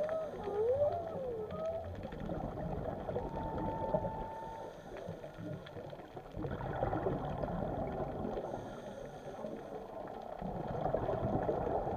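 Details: Whales calling undersea: short wavering, looping tones early on, then a long steady whistle-like note held for about a second, all over a constant rushing, gurgling underwater background.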